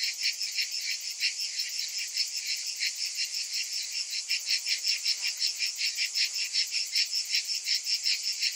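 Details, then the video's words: Cicadas during a hot summer afternoon: layered high-pitched rasping whine, pulsing rhythmically around two to three times a second, a dense chorus with no other sounds. "Cicadas in Summer"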